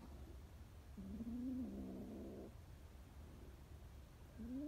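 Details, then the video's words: Scared stray kitten meowing: one drawn-out, slightly rising meow lasting over a second, then the start of another near the end; low rumbling background noise. "scared kittens"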